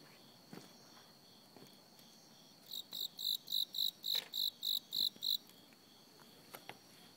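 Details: Cricket calling in autumn, starting after a few scattered clicks: a burst of about ten shrill, high chirps at a quick, regular pace, roughly three per second, then quiet again with occasional soft taps.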